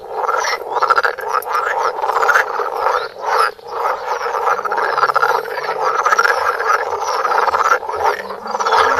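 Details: Several frogs croak close to a Samsung Galaxy Note phone, producing a thick, steady chorus of harsh, rattling croaks that overlap without pause, swelling and easing slightly in loudness.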